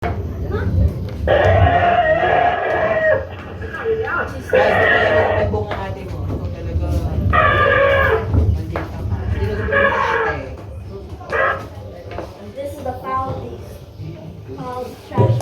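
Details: An elephant at Mandai Zoo, Singapore, gives a series of loud, harsh, harmonic calls over a deep low rumble, with voices nearby.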